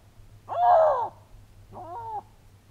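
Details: A male Canada lynx in the breeding season gives a harsh, wailing yowl, then a shorter, wavering cry. He is scent-marking and calling to attract a female whose scent was left at the spot a week earlier.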